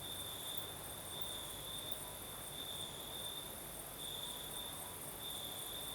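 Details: Southern Crimean crickets at night in a gentle breeze: a sustained high, ringing trill rising and falling in intensity in irregular bursts, layered over a faint very high buzzing chorus and a steady wind rush.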